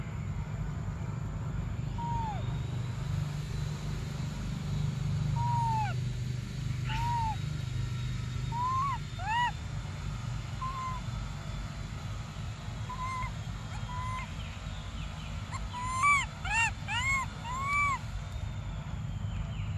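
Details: Young monkey Briar cries for milk in an emotional standoff, giving a long series of short, arched, whining whistles that grow quicker and shriller toward the end, over low background rumble.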